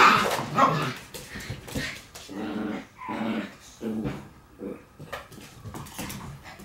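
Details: Shiba Inu puppies in a puppy room on 17 March, letting out a run of short yips and small barks, roughly one to two per second, with bumps and rustling around them indoors.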